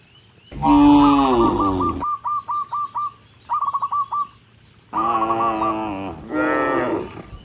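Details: Dozens of tame cattle on a rural road toward the barn, mooing to call other cattle. A loud, strained moo opens, then a run of quick high chirps, then two more full, resonant moos.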